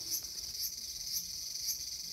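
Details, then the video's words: Cicada in a small garden, recorded August 5, 2020, giving a high, hissing buzz that swells into brief bright pulses roughly twice a second over a constant shrill background. "The sound of Cicada."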